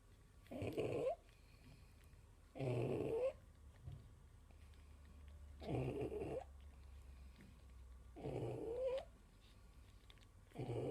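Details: Female pug snoring in her sleep while nursing her six four-day-old puppies indoors: four rasping, breathy snores about every two and a half seconds, some ending in a thin whistle, with soft low hum between breaths.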